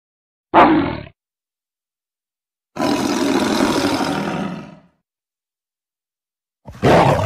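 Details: Tiger giving three separate rough bursts with silence between: a short harsh snarl, then a longer, two-second grating roar with a noisy, breathy texture, then another sharp snarl at the end.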